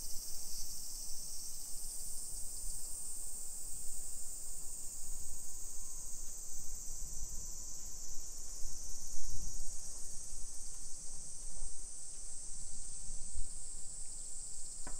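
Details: Long unbroken shrill buzz of summer cicadas over a hillside suburb of Nisshin near Nagoya, Japan, on a July 2021 afternoon, with soft footstep thumps and low street rumble underneath.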